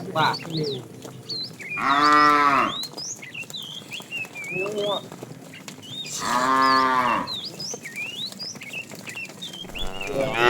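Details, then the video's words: Herded tame cows in the afternoon, a fat cow calling the female: two long, arched harmonic moos about four seconds apart, a short lower grunt between, and busy twittering birdsong behind. "The funny sound of a fat cow calling the female"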